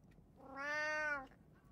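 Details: A domestic cat, one of three household cats (tabby, Abyssinian and short-legged Munchkin), gives a single drawn-out meow of about a second, steady in pitch and ending softly, with a faint click nearby.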